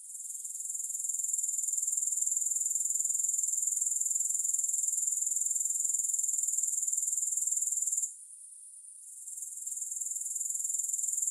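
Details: Continuous grasshopper chorus with no music: a thin, very high, evenly pulsing trill that swells in at the start, drops out briefly past the midpoint, then returns at full strength.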